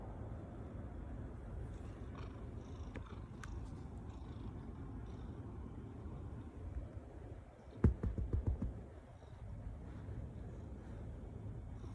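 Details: Ragdoll cat purring while kneading on a person's body as affectionate behaviour. A soft, continuous low rumble runs throughout, with a brief burst of rustling or handling noise near the eighth second.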